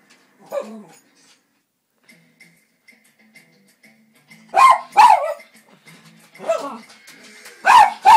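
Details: Cairn Terrier reacting while watching animal programmes on television: sharp, loud barks in bursts, a pair near five seconds and another pair at the end, with faint television sound and soft ticks between.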